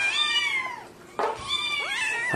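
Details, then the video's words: Kitten meows: a long harmonic meow falling in pitch, a short break with a sharp noisy burst, then another rising-and-falling meow followed by a brief clipped cry at the end; indoor setting. "Kittens Meowing Compilation"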